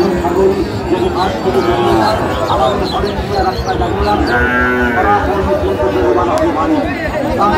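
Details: Sahiwal cattle at a cattle market in Kushtia, Bangladesh, where a farmer buys a bull calf; several drawn-out harmonic moos overlap amid steady crowd chatter and market noise.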